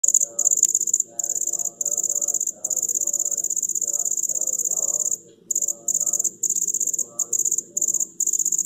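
A male cricket stridulates to attract a female, producing a piercing, steady high trill of rapid pulses. The trill cuts out briefly now and then, over a faint low murmur in the background.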